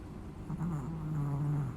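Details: Sleeping Chihuahua snoring: a low, steady droning tone, sustained for about a second and a quarter, in a quiet room.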